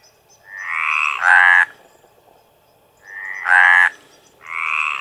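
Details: Hyla meridionalis males calling in the mating season, giving loud, drawn-out croaks. A softer, higher rasp is followed at once by a louder, buzzing note, and the pair repeats after a two-second pause.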